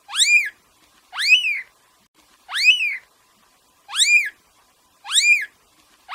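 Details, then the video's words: Playing kitten meowing in a steady series: five high, thin meows, each rising then falling over about half a second, spaced roughly every 1.3 seconds with quiet pauses between; no other sounds. "Cute Kitten Meowing"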